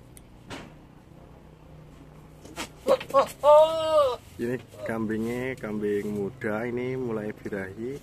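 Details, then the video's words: A young Javanese goat in heat gives strange, alien-like, wavering bleats in a rapid series, like a goat about to cry. "Kambing jawa bersuara mirip Alien"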